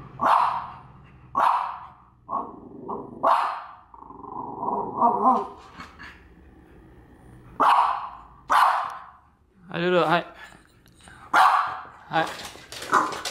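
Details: A female French Bulldog enraged by a French Bulldog figurine barks in single sharp bursts every one to two seconds, with growly grumbling in between. A woman talks and exclaims throughout.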